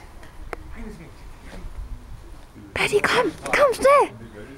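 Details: Irish Terrier Paddy playing with his sister Rut; after a quiet stretch with faint clicks and soft voice, a burst of high, arching yelps and whines, several in quick succession, rising and falling in pitch near the end.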